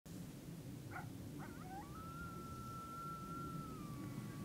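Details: Coyote chorus under a rising full moon on October 9, 2022: a few short yips, then one long, steady howl that holds a high, even pitch for nearly three seconds and dips slightly at the end, over a low rumbling background.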